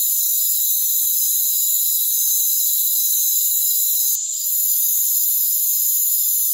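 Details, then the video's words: A rainforest cricket chorus makes an unbroken high-pitched hiss of many trilling insects, with one brief dip in loudness just past four seconds. "Rainforest Crickets"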